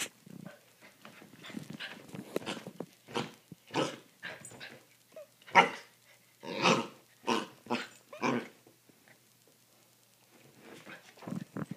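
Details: Two puppies, Holly and Sophie, play-fighting indoors on a Friday night, rambunctious Holly pounding on the couch; a run of irregular throaty growls and short gruff barks rising and falling in bursts, with scuffling between them.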